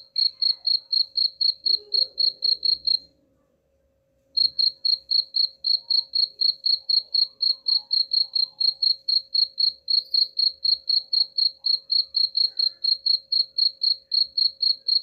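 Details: Rat-repelling cricket chirps: rapid high pulses repeating about four times a second, stopping for roughly a second after the first three seconds, then resuming steadily to the end.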